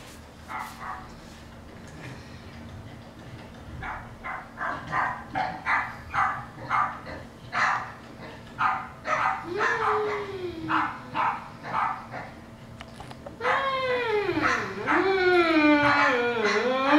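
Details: Newfoundland dog giving a run of short, sharp barks and yips about twice a second, then breaking into drawn-out, wavering howls that slide down and rise again near the end.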